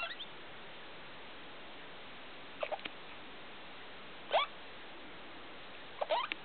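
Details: A pet degu at night, around 2 o'clock in the morning, gives sharp upward-sweeping squeaks, single or doubled, roughly every one and a half to two seconds in an otherwise quiet indoor room.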